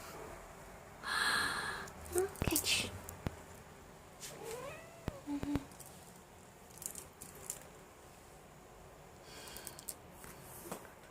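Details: Meissa, a two-year-old female Ragdoll cat, gives a brief arching meow that rises and falls, heard between a person's speech asking what is under her body and mentioning a ball, with scattered clicks and handling noises.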